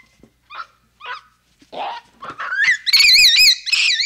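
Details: Capuchin monkey sounds start with faint, scattered squeaks, then build into loud, high, wavering trills that warble up and down in pitch over the final second and a half.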